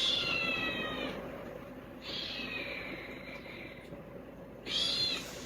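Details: Kittens noisy at the sight of food give high, thin, falling meows: one long at the start, a weaker drawn-out one in the middle, and a short sharp one near the end.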